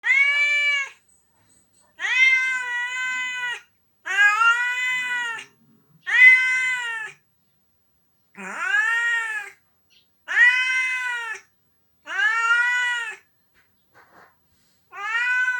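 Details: Pet cat named Onio crying indoors, thought to be missing an owner away on vacation after college graduation; long drawn-out harmonic meows, each about a second or more, arched in pitch, repeated with short silent gaps between them.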